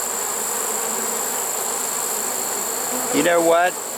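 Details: Honey bee swarm in a trap on 1 September 2019, caught late in the season; an even, dense hum of many bees, then a brief human voice over the buzzing at the end.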